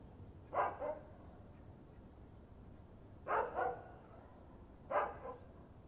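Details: Dog giving three quiet double barks, each a short pair of rough yaps spaced a few seconds apart, over a low steady background hiss.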